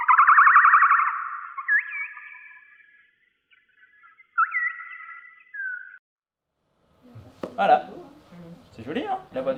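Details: Common noctule (Nyctalus noctula) ultrasonic echolocation calls, slowed twenty times to become audible, heard as warbling, bird-like chirps that sweep and hook downward.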